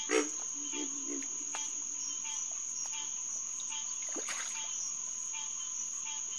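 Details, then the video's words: Green tree frogs (Hyla cinerea) calling at Headquarters Pond on June 2, 2021, at about 9:10 pm. Scattered nasal calls sound over a steady insect whine, with a few lower, deeper notes near the start. "Green Tree Frog Chorus"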